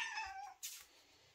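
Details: Domestic cat indoors at breakfast time, among several cats being called for food: a single meow, about half a second long, falling in pitch. A short clatter follows, then quiet room noise.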